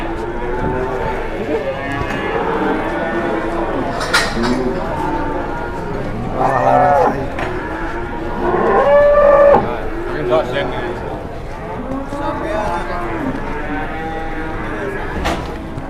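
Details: Jumbo cattle arriving at an Indonesian livestock site: a dense chorus of repeated arching moos from many animals, with occasional sharp knocks and voices in the background.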